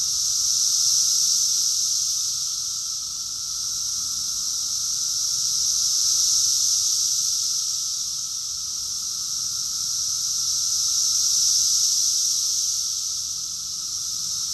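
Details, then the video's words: Rockville, Maryland, USA, summer of 2021: many cicadas producing a high hissing drone that rises and falls in slow waves about every five seconds, over a quiet steady lower tone. "Cicadas song || Cicada's chorus song"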